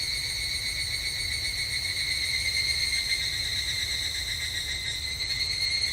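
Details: {'caption': 'Japanese temple grounds on a summer evening, filled with an even, high ringing drone of evening cicadas, pulsing quickly with little change in volume.'}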